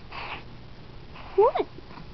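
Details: Pet cat called Squirt, female, being brushed indoors and bossing her owner about it; one short meow that rises and then drops in quick chirping strokes, after a woman's soft talking.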